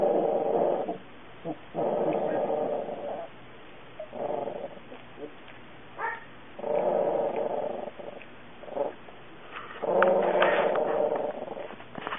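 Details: A cute puppy makes low rumbling growls in bursts of about one to two seconds, separated by short quiet gaps, with some brief sharper yips mixed in.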